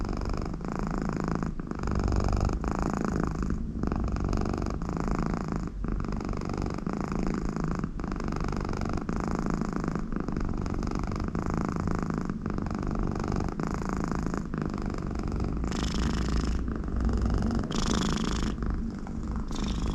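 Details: Conny, an American Shorthair cat in a very good mood with her owner close by, gives a long low purr with breathy, snore-like nasal rasps on some breaths, steady rumbling throughout the twenty seconds.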